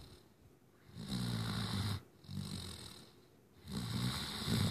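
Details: Sheldon, a sleeping Great Dane puppy, snoring: low rumbling breaths with a raspy hiss, each lasting about a second, three clear snores with quiet pauses between.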